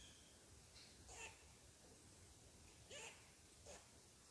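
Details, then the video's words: A squirrel, mad at someone sitting on his tree, scolds with three loud, rasping barks within four seconds. Each bark is a quick, harsh chirp against steady background noise. "Mad Squirrel Barks at Me"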